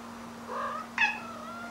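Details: Pet cat making its "talking" cry, a new way of saying "okyan": a low drawn vowel followed by a sharp, bright rising meow with strong harmonics, in a quiet indoor room with a steady background hum.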